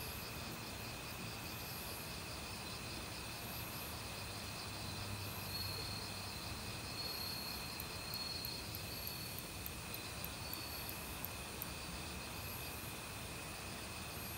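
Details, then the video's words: Crickets calling in an autumn forest alongside a mix of other insects: steady high trilling bands with pulsed chirping higher up, continuous over the whole stretch, laid over the broad rushing hiss of a mountain stream. "가을 귀뚜라미 소리"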